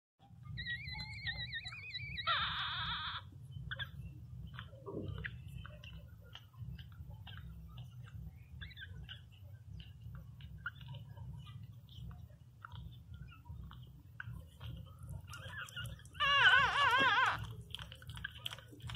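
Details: Newborn Pinscher puppy named Teco crying loudly indoors: a brief high, wavering squeal early on, then a louder, tremulous whining cry near the end, with a steady low hum underneath and faint clicks between.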